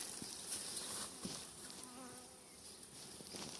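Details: Honey bees in a colony occupying ten frames, their hive being expanded with wax foundation frames. A soft, steady, diffuse buzzing hum runs throughout, with faint rustles from handling the hive.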